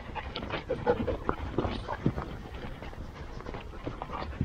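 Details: Siberian Huskies at a working sled-dog kennel of about fifty dogs on a hot summer day: rapid, breathy, rhythmic panting with soft broadband puffs, amid general yard noise.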